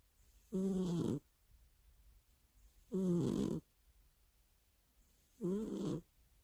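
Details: Pet cat asleep and snoring, a nightly habit right by the owner's ear: three rasping, nasal snores, each about half a second long, repeating steadily every two and a half seconds in a quiet indoor setting.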